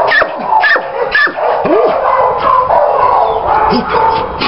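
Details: German Shepherd barking and yipping irregularly, with short sharp barks mixed with higher drawn-out whimpering tones and the odd lower bark, close and loud.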